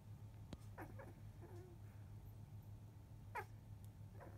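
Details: Newborn litter of eight field-type Labrador Retriever pups, 14 days old, sleeping after milk; brief high squeaks and short downward whines come in a quick cluster early, then one louder squeal near three and a half seconds, over a low hum.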